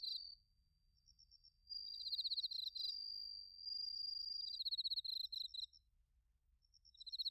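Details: Crickets, including bell crickets, chirping in autumn in Narita, Chiba, Japan, recorded on a TASCAM Portacapture X8; dense high pulsed chirps and a continuous shrill trill overlap in the middle, fading briefly before chirping resumes.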